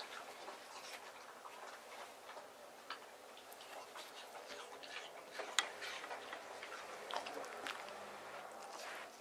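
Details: A male White Terrier, born April 2018, eats cool watermelon in summer, with soft wet crunches and irregular clicking bites in a quiet room.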